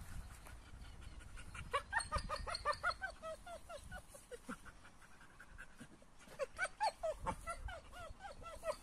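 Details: Two dogs, an AmStaff and a Kuvasz, rough playing together: bursts of rapid, rising whiny growls and yips in quick irregular runs, quieter scuffling and panting between, a second burst of growling near the end.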